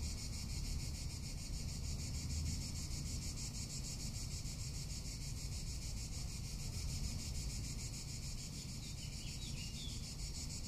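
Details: Summer cicada chorus in Tuscany: unbroken high, rasping drone made of fast regular pulses, holding its pitch throughout, with soft wind noise underneath.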